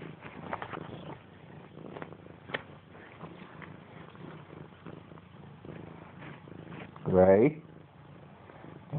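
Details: Domestic cat Missy Grey, indoors, playing and attacking a blanket hanging off the side of a couch. Quiet rustling and scuffling, then one loud, short meow near the end that sweeps upward in pitch.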